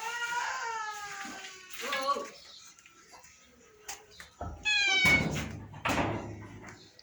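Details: A pet cat meows as it is offered rice and promised fish. Harmonic cries open and recur later among a person's Bengali chatter and handling noises.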